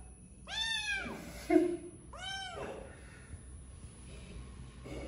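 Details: Domestic cat meowing twice, each call a clear arched wail about a second apart, followed by soft shuffling and quiet room noise.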